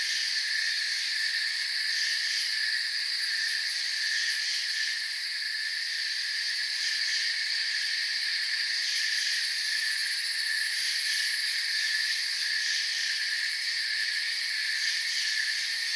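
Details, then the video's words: Crickets fill a forest soundscape with a constant high, ringing chorus of rapid chirps, gently swelling and fading in places but continuous, without other animals or human sounds. "Forest Sounds and Crickets"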